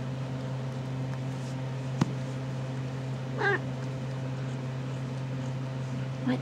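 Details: RagaMuffin kitten from a litter 7 1/2 weeks old, indoors while the kittens check out a green ball; one short harmonic meow midway, a sharp click earlier, over a steady low electrical hum.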